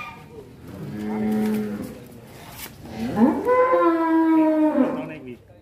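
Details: Agitated cattle being led out of its pen by a boy: a low, level moo followed by a louder, rising, strongly harmonic bellow lasting about two seconds, with men's voices around.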